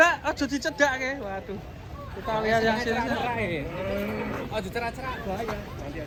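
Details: Cattle at a cow contest in Kediri, Indonesia, with a child exhibitor: a long wavering moo with bending pitch through the middle, after a burst of rapid clapping, with people talking around it.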